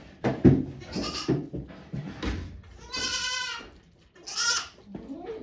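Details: Goat giving birth to two kids at a Japanese farm on 3 May 2023, volunteers present; two harmonic bleats at about three and four and a half seconds, amid Japanese speech giving birthing instructions.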